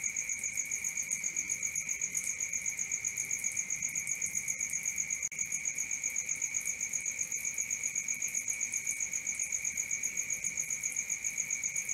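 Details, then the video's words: Steady cricket song at night, high and piercing, pulsing in a quick regular rhythm near four beats a second above a sustained lower tone; a brief dip in loudness midway, otherwise uninterrupted. "Cricket 1 hour for Sleeping & Relaxation, Black Screen, ASMR, Dark Screen Nature Sounds"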